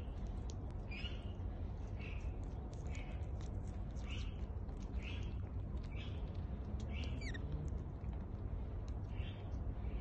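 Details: Male pygmy marmoset at Taronga Zoo eating a grape as his morning snack; short high chirps repeat about every half second to second over a steady low rumble, with a quick rising-then-falling squeak near the end.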